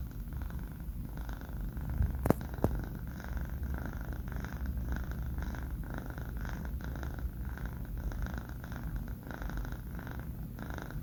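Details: Four-month-old male cat Banh Mi sleeping and snoring in a low rumbling purr, with a brief sharp click near the two-second mark, then steady rhythmic breathing.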